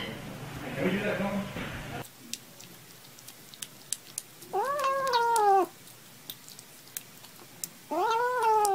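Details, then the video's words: Kittens meowing while playing indoors: after a burst of speech, two drawn-out meows rise and then fall in pitch, each lasting about a second, with light taps and clicks in between. "Top 5 Cute Kittens meowing & playing"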